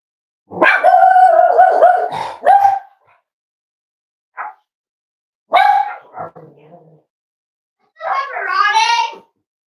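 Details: Cavalier King Charles Spaniel puppies, almost 8 weeks old, indoors at a family home litter. A long, high, steady yelping bark comes first, then a few short yips, and the clip ends with a wavering, rising whine.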